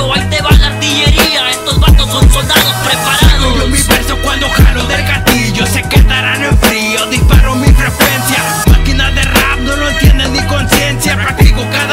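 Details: Loud hip hop track with a heavy, regular beat and rapped vocals throughout.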